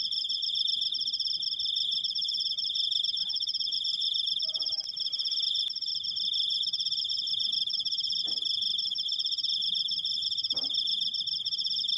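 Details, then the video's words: A cricket sustains a long shrill trill, fast pulsing and steady in pitch, while a few soft clicks and taps sound in the background. "suara jangkrik, krikkkkkk panjang"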